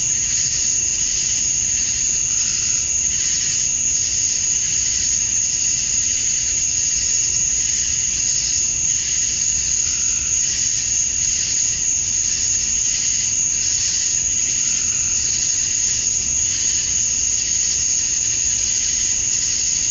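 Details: Male cicadas singing at dusk on a summer night in Georgia, USA, calling females: a steady shrill high drone with rhythmic swells in a lower buzzing band, continuous through the whole stretch.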